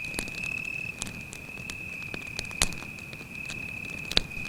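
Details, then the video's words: At night in a forest by a campfire, a cricket holds one continuous high-pitched trill while the fire snaps and pops loudly at irregular moments. "звуки сверчка"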